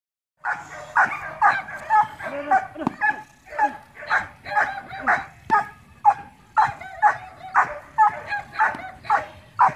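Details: Young dog in training in Laos, giving a run of sharp, yelping barks about twice a second, each bark bright and harmonic, continuing steadily with brief uneven gaps through the whole stretch.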